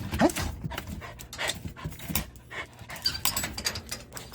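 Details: Timid factory Jindo on a morning walk in an unfamiliar park, stretching its hind legs and rump back while scouting beyond a deck's edge; quick, breathy, rhythmic panting bursts with footsteps and faint rustling around it.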